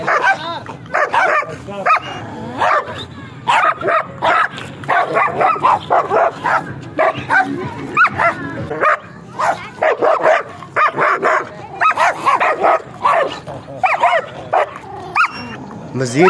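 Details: Sustained barking by a stock-coat German Shepherd, dozens of punchy barks in rhythmic clusters of two to four, with brief quieter spells between clusters.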